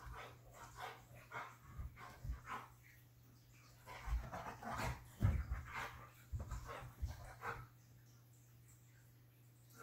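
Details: A Siberian Husky playing with a cat gives short, irregular grumbling vocalizations and soft barks in bursts.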